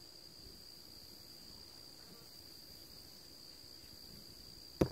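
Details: Steady high, thin insect trilling from crickets on a fine September 13th afternoon at 2:40, continuous and even, ending with a sharp loud click.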